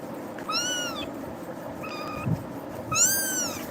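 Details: Scared kitten crying indoors after being startled by another cat; three thin, high-pitched meows, the first and last long and arching, the middle one shorter and flatter, about a second apart, with quiet room noise.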